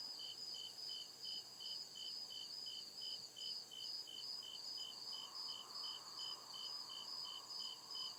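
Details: Crickets in the deep woods after dark, sharp evenly spaced chirps about two per second over a sustained high ringing trill; a soft lower buzz swells in the second half.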